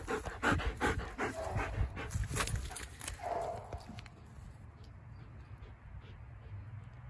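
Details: A Boxer/Mastiff mix dog pants hard and fast in rapid, rhythmic bursts of breath for about four seconds, then the breathing fades to a quieter, steady hush. Low household rumble underneath.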